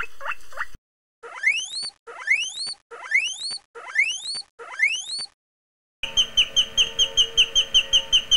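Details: Pet guinea pig gives a run of shrill, rising whistled squeaks, each repeated about once a second.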